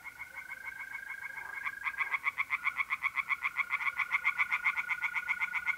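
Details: Tree frogs sing at a pond by night in mid-April, North-East Italy. Rapid rhythmic croaking pulses swell louder after two seconds as more frogs join. A constant mole cricket trill runs through the whole stretch.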